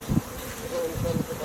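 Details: Honey bees buzzing: a steady, even hum with two louder, lower bursts near the start and the end.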